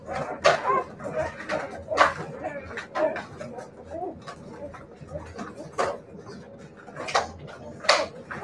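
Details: Siberian Husky puppies whine and yelp in short bursts, some wavering, some clipped, with sudden loud knocks and a human voice faintly in the background.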